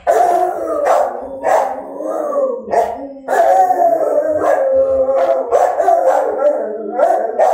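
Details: Long, wavering dog howls overlap in a continuous chorus, with short barks cutting in throughout.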